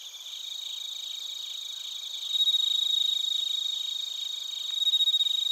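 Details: Chirping crickets, including bell crickets, recorded in Narita, Chiba Prefecture, Japan with a TASCAM Portacapture X8; fast regular pulsed trills rising in loudness twice, over a continuous high-pitched insect chorus, plus one brief click.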